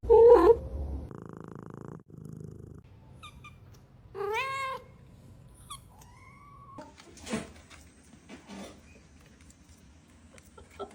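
A kitten calls with a high, thin meow that rises and falls in a short arch, followed by a softer, drawn-out descending mew. Faint low rumbling and small clicks sit underneath in a quiet room.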